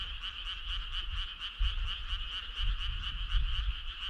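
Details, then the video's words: Frogs on a summer night giving a clear, rhythmic pulsed trill, beats evenly spaced several per second, over soft low background rumble. "Cool frog sound"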